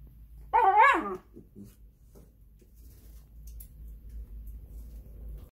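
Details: Shiba Inu a couple of weeks past stomach surgery lets out a single loud, whining yowl that climbs and bends back down over half a second, followed by a few soft grunts and a low steady hum.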